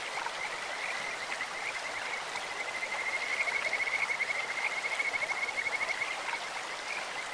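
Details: Stream-dwelling Kajika frogs give a high, even-pitched trill of quick pulses that swells loudest mid-clip, bird-like and musical, with the steady hiss of running water underneath.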